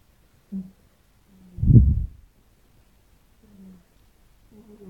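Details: Domestic cats in a snoring contest over which snores loudest; low, rumbling snores arrive in short bursts, one deep rasping snore louder than the rest near the middle, with softer nasal snuffles between and quiet surroundings.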